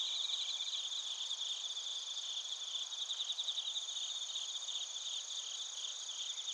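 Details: Narita, Chiba, Japan, on a TASCAM Portacapture X8: chirping bell crickets and field crickets form an even, high-pitched wash of quickly pulsing trills, with many insects overlapping and nothing else audible.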